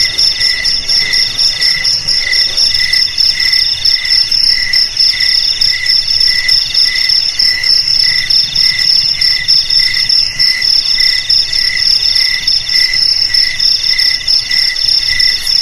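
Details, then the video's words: Jangkrik, the cricket, chirping in a recording meant to scare rats away from houses and fields; continuous shrill pulsed trills, chirps recurring about once a second over a steady high buzz, nothing else audible. "Suara JANGKRIK Pengusir TIKUS"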